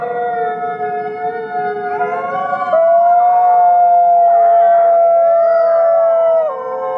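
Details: Captive gray wolves at a wolf conservation center in South Salem, New York howl in chorus, with long sustained tones layered over one another and one voice rising above the rest.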